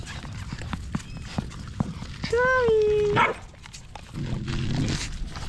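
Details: Stray puppy held in someone's arms, crying for help: one drawn-out, high whine that bends up and then slowly slides down over about a second, with faint rustling and low handling noise around it.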